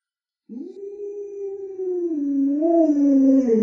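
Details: Alaskan Malamute named Luoluo, a pet dog with 36 tricks, kept with the family's small child, gives a long wavering howl-like vocalisation that bends down and back up, held for about three seconds, growing louder toward the end.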